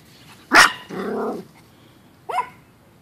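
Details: Chihuahua at play during a sunny day of backyard fun, with Trixie the Chihuahua and Cookie, a Chihuahua/Pomeranian mix: one sharp high bark, then a brief rougher growling bark, and a shorter yap about two seconds later against quiet background.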